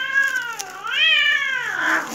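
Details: Cat, called a Far Eastern cat, indoors while exploring a new climbing complex built as environmental enrichment because he was bored; one drawn-out, wavering meow rising then falling, with a woman speaking nearby.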